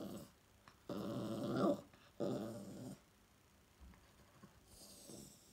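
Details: Female English Toy Terrier impatient for her morning tea, making loud rough growling rumbles in two long bursts early on, then fading into softer breathy snuffles inside a small room.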